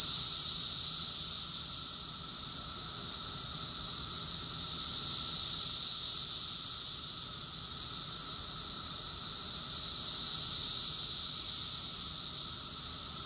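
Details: Cicada chorus recorded in summer in Rockville, Maryland, USA, June 2021: a dense, continuous high-pitched shimmering whine that swells and eases roughly every five seconds, with a faint steady lower tone underneath and no other animals.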